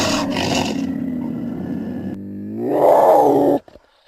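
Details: Puma giving a rough, drawn-out roaring call, then a harmonic cry rising in pitch and swelling louder before stopping abruptly.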